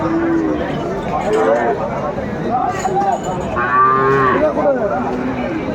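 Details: Sahiwal bull at Aftabganj cattle market in Brahmanbaria, Bangladesh, 7 May 2024: a drawn-out harmonic moo rises and falls amid constant crowd chatter, men talking nearby and snatches of background music.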